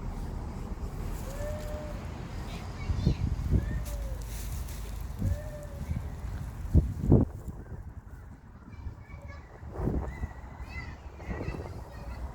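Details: Street cats in a city, coming out as soon as they hear a call. Three short arched meows rise and fall in the first six seconds, followed by knocks and scraping, faint higher chirps and a constant low urban rumble.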